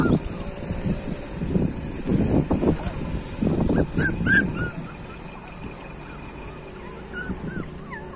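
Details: Street puppies give short, high whining cries, a quick group near four seconds and a few faint later ones, over low thumping and rustling noise.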